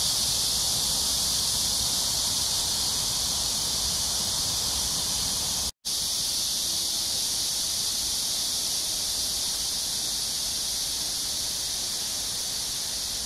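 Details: Cicadas in full chorus along the Han Riverside at Amsa Ecological Park, Seoul, South Korea, early summer evening, July 26, 2021: a steady, piercing high buzz, briefly cut to silence once, then resuming.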